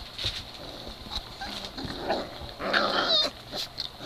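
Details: Three-week-old Great Dane puppies at play; short rough grumbles, squeaky yips and thin whines tumble over each other amid constant scuffling and rustling.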